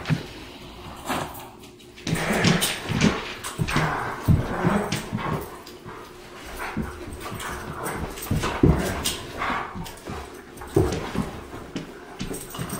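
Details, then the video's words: Bull, a rescued New Guinea singing dog, gives a run of whining, yelping howl notes in short spurts, his morning howl greeting the new day rather than a sign he wants to go out. "New Guinea Singing Dog Howl"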